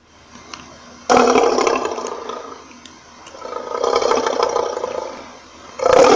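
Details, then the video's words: Lion roaring: a loud, rough, broadband roar bursts in after a quiet second, eases into a lower rumbling swell, then a second harsh roar starts at the very end. "lion Roaring Sound"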